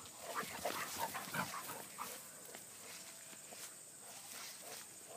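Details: Two basset hounds, aged 10 and 7, playing in the countryside of upstate New York; a quick run of short, yelping barks in the first two seconds, then soft rustling footsteps on the ground with a faint steady high hiss.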